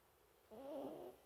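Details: Sleeping mini toy poodle snoring: one soft, nasal, tonal snore of about half a second with a slightly wavering pitch and faint overtones, in an otherwise quiet room.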